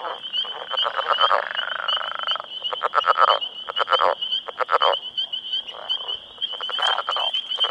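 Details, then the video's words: Male Northern Leopard Frogs in their breeding territory call for females while squabbling over turf. A long, drawn-out snoring rattle is followed by shorter clucking pulse bursts, all over a steady, shrill background trill. "Northern Leopard Frog Calling"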